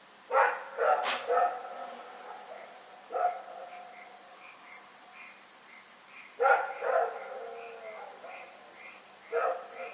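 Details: Rex, a dog, barking in the night, recorded February 27, 2018: hoarse, harmonic barks come in short bursts of two or three, spaced a few seconds apart, over a steady, evenly repeated high chirping in the background.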